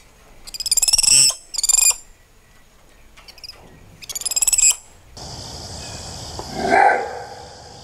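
Spider monkey giving three bursts of shrill, rapidly pulsed squeals, then a rush of broadband noise and one lower squeak.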